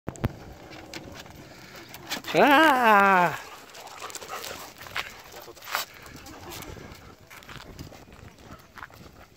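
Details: Golden Retrievers related by blood meeting as younger sister dogs come to visit, recorded 4 June 2017 in Japan; a single drawn-out, wavering, nasal whine lasts about a second, amid faint background noise and clatter.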